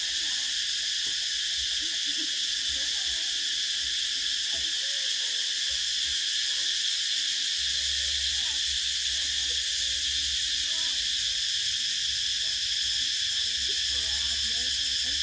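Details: Cicadas calling in summer make a thick, continuous metallic whine high in pitch, holding steady throughout while faint scattered low chirps and a light rumble sit far beneath.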